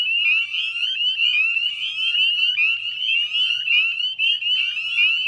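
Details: Springtime wetland at dusk, West Chezzetcook, Nova Scotia, Canada, 18 May 2020: a mass of northern spring peepers gives sharp, upward-sliding peeps in quick overlapping succession, over a faint low hum.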